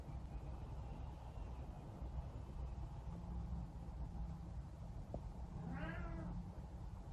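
A Savannah cat gives one short, wavering, nasal yowl while defending her chair, over a steady low rumble.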